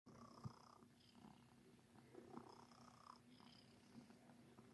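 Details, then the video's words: Domestic cat named Sir Titan purring while making biscuits, kneading; soft continuous low rumbling purr with faint breathy pulses, quiet indoor setting. "Cat Making Biscuits"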